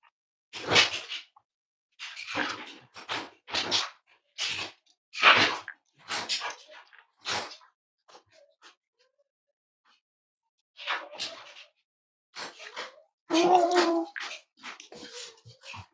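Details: Snuggling Cavalier King Charles Spaniel puppies at home on a warm morning: a run of loud breathy snorts and sneeze-like bursts, a quiet pause, then softer snuffling with a brief low whine near the end.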